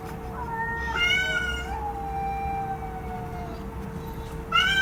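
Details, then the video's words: Cat meowing: a rising then falling meow in the first two seconds, a long low drawn-out tone after it, and a fresh meow starting just before the end. A constant faint hum continues throughout. "CAT MEOKING SOUND EFFECTS"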